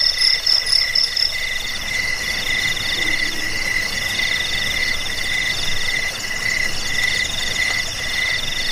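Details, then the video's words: Crickets chirping, offered as a sound to repel rats, aid sleep and tutor songbirds; several overlapping high-pitched pulsed trills at different pitches run steadily throughout, with a brighter shrill layer at the start. "Suara jangkik pengusir tikus pengantar tidur"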